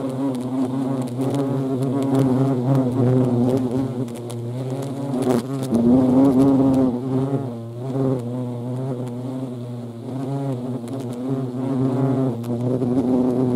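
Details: Busy European hornets (Vespa crabro) give a continuous deep hum that wavers in pitch and loudness as they fly close by and then farther off, with a short rising surge partway through.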